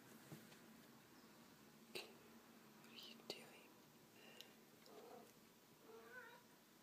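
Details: Domestic cats at play, Honey the male tabby with a female kitten awaiting adoption: a few soft, short meows with curved harmonics near the end, mixed with quiet whispered human speech and occasional sharp taps indoors.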